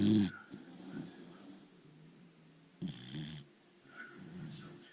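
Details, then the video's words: A sleeping dog snoring: low, rough, buzzing breaths that swell and fade, with one loud snort at the start and another about three seconds later, over a faint hiss. "Dog snoring"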